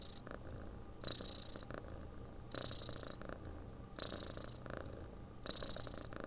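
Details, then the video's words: Purring, snoring house cat: a low buzzing rumble throughout, with hissy breath swells about every one and a half seconds, four cycles in a calm, regular rhythm. "Храп кошки. Муркотание для сна."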